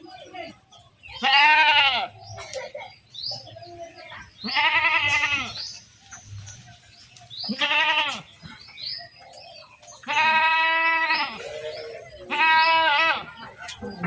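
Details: Goats being herded: several loud, wavering harmonic bleats about a second each, spaced every two to three seconds, with quieter bleats and faint chirps between them.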